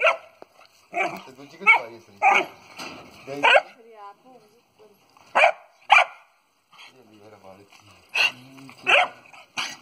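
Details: Dogo Argentino dogs of a heavy-boned breed, kept for sale in Khanpur, Delhi, India: loud, harsh barks in short bursts, often in quick pairs, spaced irregularly over about ten seconds, with a person's voice nearby.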